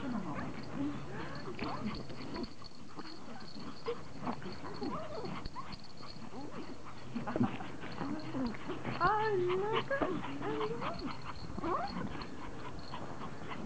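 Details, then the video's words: Pomeranians greeting their owner in a happy reunion after she returns from vacation, giving high wavering whines and yelps that rise and fall repeatedly, mixed with a woman's excited talking throughout. "Reunion - POMERANIANS very HAPPY to see mom"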